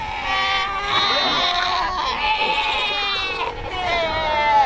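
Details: Cape fur seals at Cape Cross along the Skeleton Coast, a colony over 100,000 strong. Continuous overlapping bleats, nasal and wavering, form a dense chorus with little background noise.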